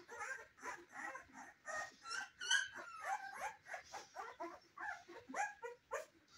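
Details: Cane Corso puppies in their first weeks, several pups calling together: a continuous jumble of short, squeaky whimpers and yelps, some rising or falling, following each other rapidly for the whole stretch.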